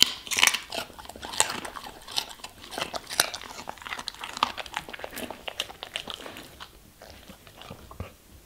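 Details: A German Shepherd chomps through vegetables and fruits. Bright, crisp bites repeat roughly every half second at first, then thin into quieter, sparser chewing toward the end.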